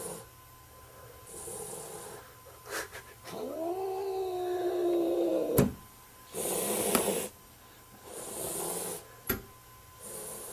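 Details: A house cat gives a single arched, moaning meow lasting about two seconds, rising then gently falling, set among bursts of rustling and hissy handling noise.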